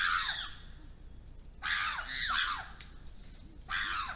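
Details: Issa Valley chimpanzees in Tanzania screaming at wild dogs to intimidate them: three harsh, strained scream bouts with falling sweeps, separated by quieter stretches of low background noise.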